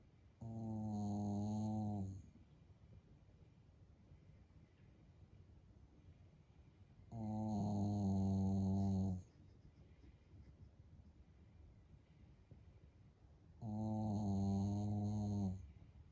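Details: Shiba Inu snoring loudly like an old man, keeping its owner awake; three long, low, harmonic rasping snores of about two seconds each, spaced roughly six seconds apart, with quiet breathing between them indoors.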